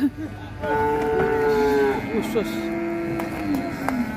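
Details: Qurban cattle running wild off a truck at Siyono Harjo market; a long, steady bellowing moo held over a second, then wavering lower calls trailing off, with murmuring people and engine rumble behind.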